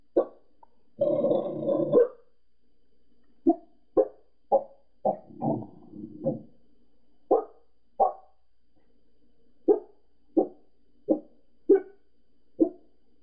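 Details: Pembroke Welsh Corgi indoors barking at people seen outside next door: a rough, rapid burst of barking, then single sharp barks at uneven gaps of about half a second to one and a half seconds, with near silence between.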